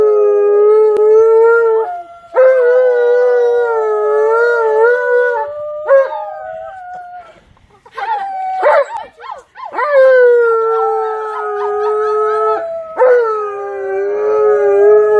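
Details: Tonka, an Alaskan Malamute, howls excitedly while nephews, nieces and a neighbor visit. Long, steady, mournful howls, each held for several seconds, then sliding up or down in pitch. Several separate howls follow one another with short breaks between them.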